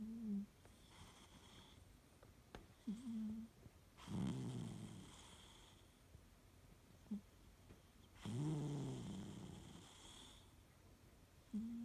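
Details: Siamese cat named Fu-chan sleeping soundly, snoring loudly: low rasping snores around every four seconds, each a rough rumbling breath with a brief higher nasal tone between them, otherwise quiet room.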